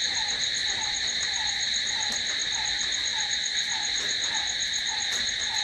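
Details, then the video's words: Crickets calling at night: a steady, unbroken high-pitched trilling chorus with layered ringing tones. Beneath it, a lower short chirping note repeats roughly every half second throughout. "Cricket sound"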